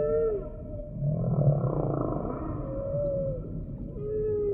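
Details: Humpback whale singing: a short downsweeping whoop opens, then a low buzzing groan, followed by two arching tonal calls that rise and fall, all above a constant deep underwater hum.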